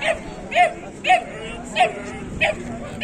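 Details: Bully Kutta from Pakistan, called the world's biggest bully dog, playing energetically: short harmonic barks or yips repeat about every half second over a low rumbling background.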